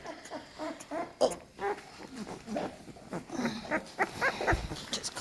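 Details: A litter of American Staffordshire Terrier puppies, becoming more active and crawling, give short, high squeaks and whines in quick, uneven bursts.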